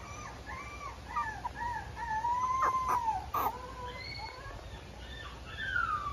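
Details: Quiet female Mame Shiba puppy whimpering softly: a run of thin, wavering, high whines rising and falling, with a few sharp clicks or taps in the middle.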